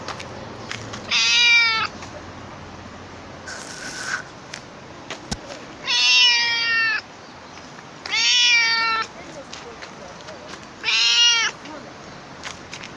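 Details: Four loud, sustained meows from a talkative stray cat, each around a second long with a gently arching pitch, repeated every two to three seconds, with a brief soft noise burst between the first two.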